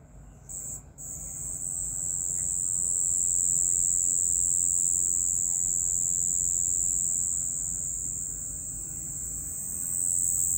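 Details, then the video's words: Nocturnal cricket song opening with two short chirps, then a long, even, high-pitched trill that continues without a break, steady in pitch and loudness. "Night Cricket Sound"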